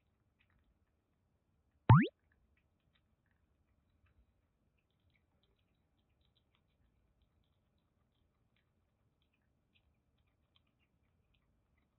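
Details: Near silence broken once by a single sharp plop, with no animal voice heard.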